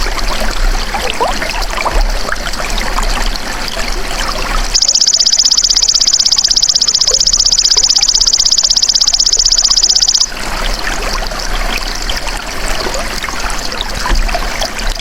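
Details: Golden grasshopper sounding as a tutor for songbirds: after a run of watery trickling noise, a bright, high, steadily pulsed buzz runs for several seconds, then stops and the trickling background returns.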